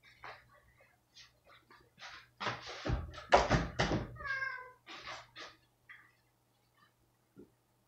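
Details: Domestic cat reacting badly to a spot-on flea and parasite pipette treatment indoors: a run of harsh, noisy growling bursts swelling into a loud strained yowl with a brief tonal wail, then tapering to short scattered grumbles and a soft thump.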